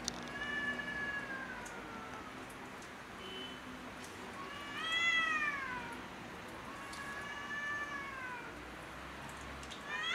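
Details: Cats in a territorial quarrel on rooftops give wavering, arched yowls with rich overtones, one rising higher and louder near the middle, a shorter note before it, and a steady low hum behind.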